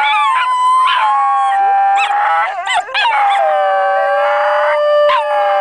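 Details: A basenji at a picnic in Perth, Australia, sings along to a tune, yodelling in long, wavering, tuneful howls that slide up and down in pitch.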